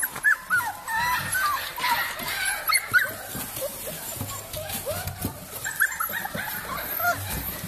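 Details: Cavalier King Charles Spaniel giving high, thin whimpers that slide up and down in short bent notes, scattered across the clip, over steady background music.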